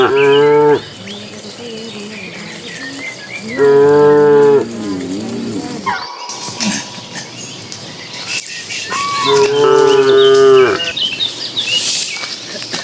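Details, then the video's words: Dozens of cattle herded into their pen as evening comes: three loud, drawn-out moos about a second each, spaced several seconds apart. Bird chirps and scattered clatter sound between them. "Suara puluhan sapi saat memasuki kandang"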